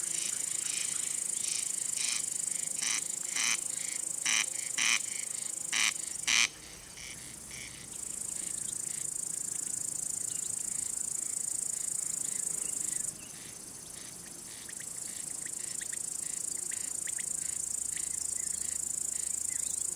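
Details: Male cricket singing by rubbing its wings to attract or court females or scare off rival males; a high, steady shrill trill that drops out briefly twice, alongside a rapid series of loud clicking pulses in the first six seconds.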